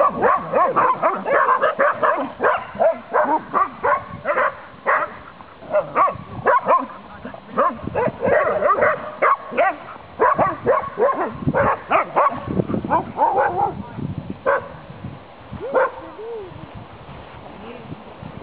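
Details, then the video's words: Saluki dog playing boisterously through a fence, barking in quick irregular bursts of harsh yaps and higher yelps, with short pauses between volleys and a brief whine near the end. "Barking saluki"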